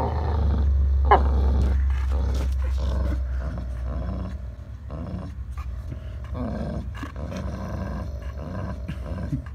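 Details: German Shepherd growls at a Pitbull while the two dogs tug a toy between them; a loud, deep rumbling growl holds for about four seconds, then softer grumbles follow beneath a person's voice.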